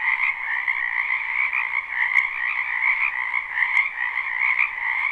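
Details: Many frogs croaking in spring in a wetland behind a house, recorded live without looping; a dense, continuous chorus of overlapping trills in two bright bands, with steady volume throughout and a couple of brief clicks.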